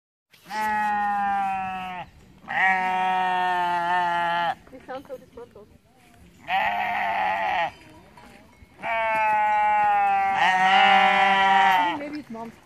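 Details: {'caption': 'Sheep screaming on top of a mountain near Innsbruck, Austria: four long, loud, harsh bleating cries of two to three seconds each, separated by short pauses with faint rustling.'}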